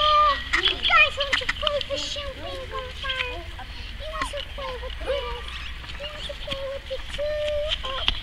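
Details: Several young Cane Corso pups, eight weeks old, whimper and whine in quick overlapping bursts, flat and bending tones repeated over eight seconds, while a person talks to them and offers a toy.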